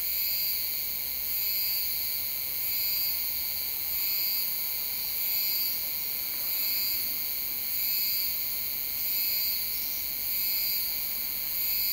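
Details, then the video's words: A Euterpnosia laii cicada in July at Alishan, Taiwan, sings a shrill, ringing tone that swells in steady pulses about every second. "賴氏姬春蟬 蟬鳴聲 / Euterpnosia laii - Cicadas in Taiwan"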